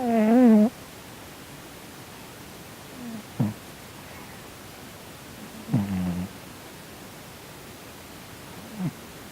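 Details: Domestic cat snoring while asleep and twitching, possibly having a nightmare, indoors. A wavering, harmonic moan opens, followed by short low snorts repeating about every two to three seconds over a quiet background hiss.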